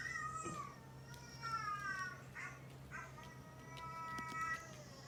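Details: Pet domestic cats Kinta and Coco, both neutered males, indoors reacting to the sound of a dog barking. Several clear, tonal meows that waver and slide downward, one after another, with soft thumps and a faint hum in the room.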